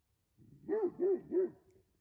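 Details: A Kangal shepherd dog, caught at night on a forest camera trap where a goat died, gives three deep, evenly spaced barks while scratching the ground and leaving its scent; it is alone and seems confident rather than afraid, announcing its presence.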